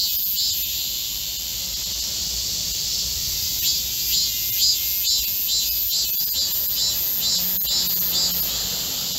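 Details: Korean cicadas chorusing in a green midsummer forest on 25 July 2024 in heatwave conditions: layered high buzzing with rhythmic pulses, one band rising and falling, plus a faint low hum.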